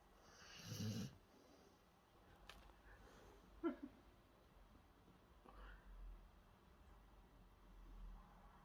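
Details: A sleeping female Rottweiler snores with soft, low rumbling breaths that come irregularly, a few seconds apart, her eyes open and tongue half out.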